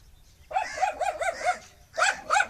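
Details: Angry dog barking in quick bursts, a run of five sharp barks about every quarter second, a pause, then two more loud barks; faint low hum underneath.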